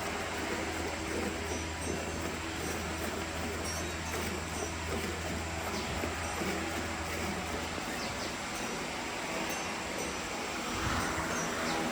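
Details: Dense mechanical rumble with a low steady hum and faint music carries on, without any lowing or other animal call.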